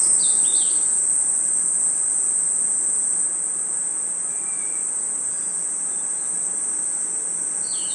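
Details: Crickets and insects singing in a forest at night produce an even, continuous high trill; a few quick chirping notes appear in the first second and at the very end.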